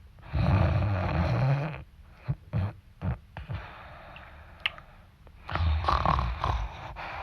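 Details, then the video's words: Dog snoring loudly while asleep: a long, growly inhaled rumble, a few short snorts and sniffs, then another deep rattling snore. "cute dog snoring loud when sleeping"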